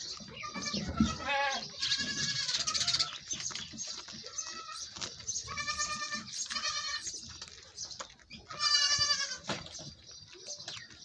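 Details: Goat being milked, bleating repeatedly: a run of quavering, nasal cries spaced a few seconds apart, the last one loud and trembling. Handling noises and faint voices fill the gaps.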